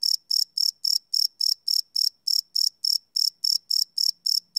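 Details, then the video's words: Live field recording of crickets at night, crisp high-pitched chirps ticking steadily around four per second, a faint low hum creeping in at the close. "Cricket Chirp Sound - Cricket Sounds at Night"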